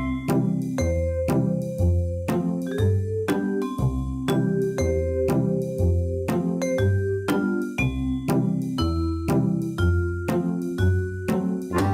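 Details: Cheerful mallet-style music with ringing vibraphone-like notes over a steady bass, about one beat per second; no animal voice.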